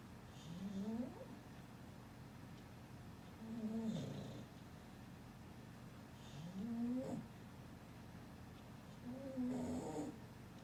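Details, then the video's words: Dog asleep after a long bout of play, snoring softly: rasping breaths with a rising whistle-like tone recur about every three seconds, quiet and even. "هل سمعت شخير الكلاب"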